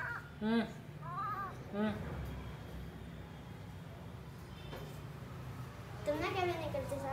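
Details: Indoor cat giving two short arched meows about a second apart, then a longer wavering, rising-and-falling call near the end, while people chat in Hindi over a steady low hum.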